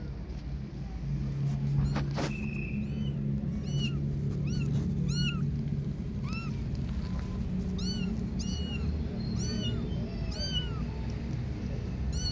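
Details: Outdoor kittens at play give a rapid run of short, high, arched mews, roughly a dozen in twelve seconds and irregularly spaced, some thin and squeaky, over a constant low hum and outdoor rumble.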